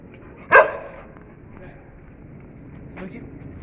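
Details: A young Sivas Kangal dog with a bone lets out a single short, sharp bark, followed by a quiet indoor stretch with faint voices and small knocks.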